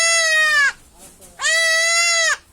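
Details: Goat kid bleating while being castrated: two loud, strained, harmonic bleats, each under a second, steady then dropping at the end, separated by a short pause with faint background noise.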